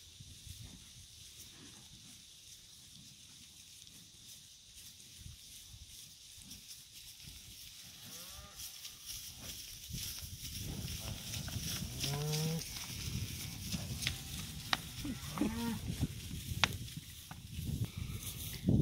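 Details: A herd of cows and calves being turned out onto green summer pasture; low lowing calls start midway and grow louder, with a couple of short moos and a steady background rumble of hooves and movement.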